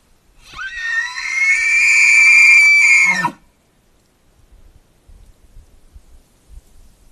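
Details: Bull elk "56", a big five-point bull at Aught Six Ranch, bugles while tearing up a wallow: a loud, high, sustained whistling scream lasting nearly three seconds, ending in a low grunt, followed by thumping and splashing.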